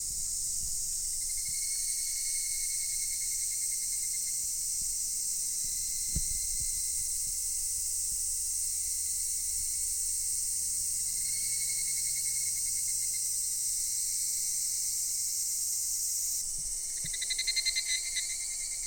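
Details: Cicadas in full chorus at Daichu-ji temple in Ohira: a dense, unbroken hiss-like drone high in pitch with a thinner whining band beneath. It swells slightly near the end as another caller joins with a pulsing buzz.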